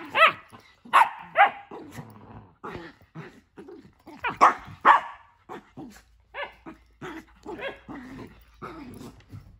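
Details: Nala and Jersey, two household dogs, romp in a new playroom as Nala guards her tent from Jersey; loud sharp barks in clusters, separated by quieter gruff growling snarls and short pauses.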